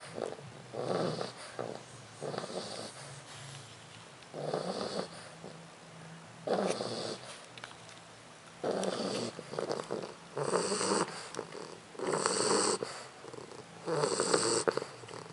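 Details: Leona, a 4-month-old English Bulldog puppy, snoring: rough, noisy breaths in bursts about every two seconds, some breaths louder and hissier than others, with short quiet gaps between them.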